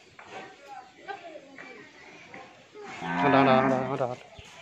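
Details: Pregnant Friesian dairy cow, nine months in calf and due to calve for the second time, on a farm in Bhangura, Pabna, Bangladesh. A loud, deep, drawn-out moo about a second long follows quieter murmuring human voices.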